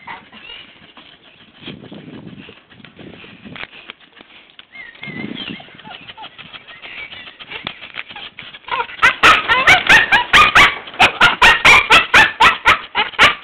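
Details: A Staffordshire Bull Terrier cries to get to another dog, giving high squeals, then bursts into rapid, shrill, chimp-like hoots; Staffordshire Bull Terrier.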